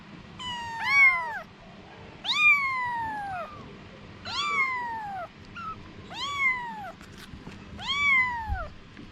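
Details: Mother cat with her kittens: six loud, drawn-out meows that rise then slide down, coming about every one and a half seconds, with a soft short squeak between calls and faint low background rumble.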